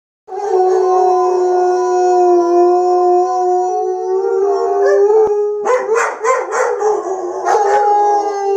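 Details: Two German Shepherds howling together: long, steady, mournful tones that hold for several seconds, then break into wavering, yelping howls near the end.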